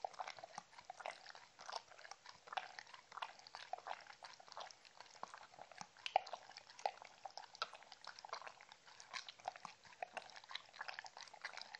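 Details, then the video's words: Mindy, a Shetland Sheepdog, enjoying dog-friendly treats: dense crunchy, clicking bites and wet mouth noises packed closely together, steady throughout with occasional sharper snaps. "ASMR Drinking sounds Compilation Shetland Sheepdog"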